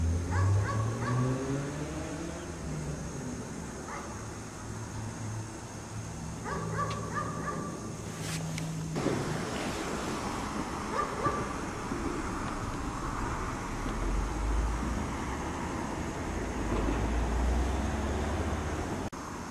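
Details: Chained dog left outside all day in the cold snow, barking; short harmonic barks come in bursts over the first eight seconds, followed by steady low rumbling background noise.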